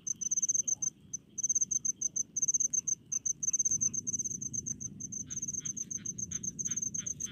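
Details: Crickets calling among rice fields in the Indonesian countryside: shrill, rapid pulsed chirps in bursts, joined later by lower, softer chirping from another insect, over a faint low rumble.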